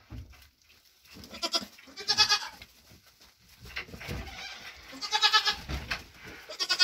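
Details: Nigerian Dwarf goat mother, whose triplets were born June 18, 2023, at her grain ration after hoof trimming; several brief, nasal, harmonic bleats spaced irregularly, with low thuds and chewing-like noises between them.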